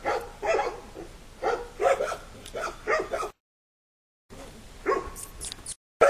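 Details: A litter of five puppies walking confidently in a yard with their mother; a run of short barks, then a silent gap, followed by a few more yaps and a brief whine.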